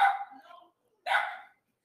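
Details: A domestic puppy barking loudly indoors while its owner gives a lecture; two short, harsh barks about a second apart, the second sharper and more sudden, with the lecturer's voice nearby.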